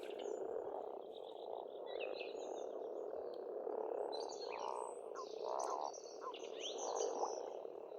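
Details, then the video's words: A spring frog chorus at an Estonian farmstead pond. A constant croaking hum swells into louder pulsing bursts about every second or two, with scattered high chirps and whistles from birds overhead. "Расслабляющее пение птиц и лягушек, весна, природа."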